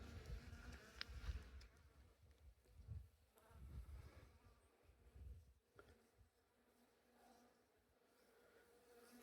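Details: Honey bees from a well-established colony, active for two years, being cut out of a house wall during a hive removal. A low, steady hum swells and fades in uneven pulses, with faint higher tonal bands and soft handling noises.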